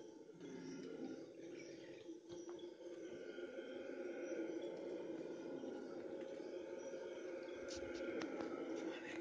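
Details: Red howler monkeys calling at dawn: a continuous, droning, roaring chorus of overlapping voices, swelling slightly and holding steady throughout, with faint clicks and higher calls in the background.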